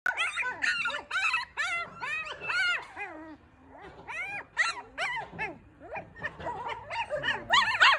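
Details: Four newborn Maltipoo puppies in a litter, squeaking and whimpering in rapid overlapping bursts, each cry a high arched whine repeated several times a second, with brief quieter gaps between volleys.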